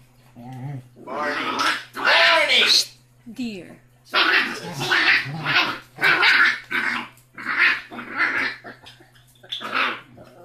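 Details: Rocky, a six-week-old basset hound puppy, the smallest and loudest of five siblings, gives a run of loud, rough growling barks in bursts of about a second, with short gaps and a steady low hum beneath.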